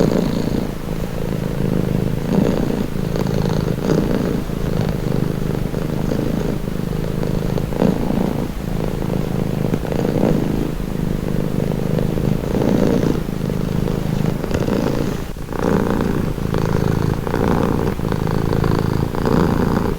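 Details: Continuous cat purr: a deep, grainy drone swelling and easing with each breath over twenty seconds, the rhythm less sharply cut than usual, with a soft breathy layer on top and no other sounds.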